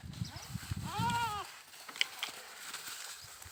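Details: Goat giving one short, arched, slightly wavering bleat lasting under half a second, set over low thumping and shuffling noises, then quiet with a few faint clicks.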